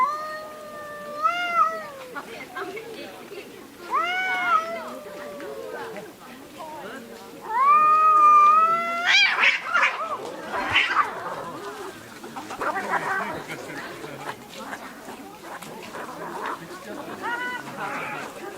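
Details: Quarrelling house cats: several long, wailing, harmonic meows that rise and bend downward, then a burst of harsh, noisy hissing and scuffling sounds with scattered shorter cries.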